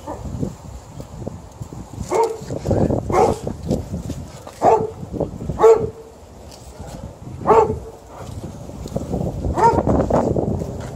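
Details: Alaskan Malamute during a tug-of-war game, voicing repeated short woo-like barks and yowls every second or two between bouts of growly scuffling and tugging noise.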